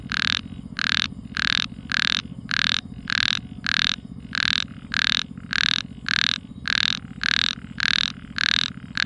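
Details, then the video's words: Loud frog calls in the night: rhythmic buzzy croaks, close to two per second and very even, with a faint low hum running throughout. "tiếng nhái kêu buồn trong đêm vắng"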